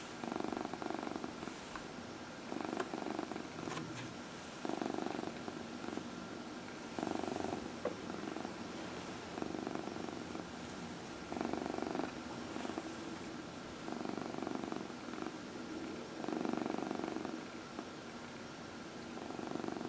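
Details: Pet cat purring during a massage, one of four household cats; rhythmic purr rising and falling with each breath in repeated bursts over twenty seconds, a soft background hum and light handling noises.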